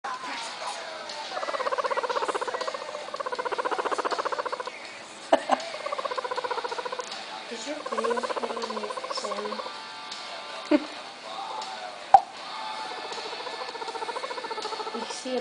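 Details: A guinea pig being petted a certain way gives long, buzzy, pulsing calls that waver up and down, broken by a few sharp taps.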